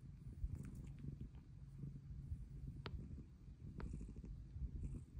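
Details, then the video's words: Luna, a pet cat with a purr that has grown louder with age, purring in a steady, even rumble while wanting to be petted, with a few faint clicks. "Pretty kitty meows for pets!"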